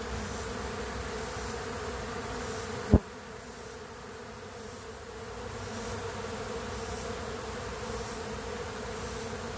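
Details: Honey bees robbing a weak colony that stayed queenless; continuous low buzzing of many bees with a single sharp tap or knock early on, then the hum settles and swells again.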